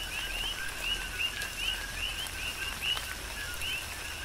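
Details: A chorus of coqui frogs on Hawaii's Big Island during tropical rain. Clear 'co-qui' calls, each a short low tone then an upward-sweeping whistle, follow one another roughly once a second against a hiss of rainfall.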